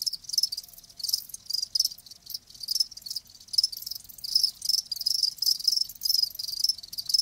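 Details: Live crickets chirping in quick high-pitched bursts, irregular pulses stacking into a lively chorus, loudness rising and falling.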